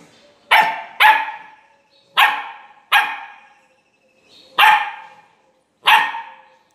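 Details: Labrador puppy barking on command during speak training: six loud, sharp, separate barks at irregular gaps of about half a second to a second and a half, with quiet between.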